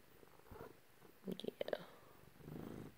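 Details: Purring from a house cat being given affection by its owner; short low rumbling swells at the start and end, separated by a few sharp clicks and taps of movement.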